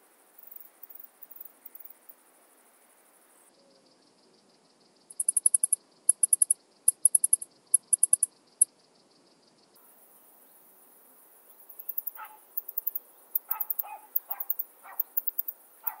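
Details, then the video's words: Alpine saw bush-cricket singing near Brixen, Italy, on 11 September 2022: clusters of short, very high ticking pulses in quick bursts, pausing, then resuming as a faster series of sharp clicks over a faint hiss. "Barbitistes obtusus -- Südalpen-Säbelschrecke -- Alpine Saw Bush-cricket"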